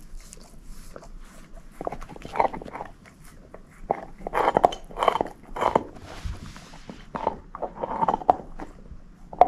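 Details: Bone-chewing by Moose, a female shepherd mix: steady gnawing with repeated crunching bites roughly every second, some firmer cracks, and soft wet mouth sounds in between.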